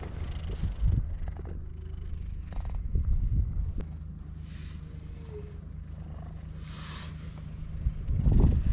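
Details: Stray cat on a cat island purring while being stroked, later letting its belly be touched: a low, steady, rumbling purr throughout, with soft rustling and a few faint high outdoor sounds.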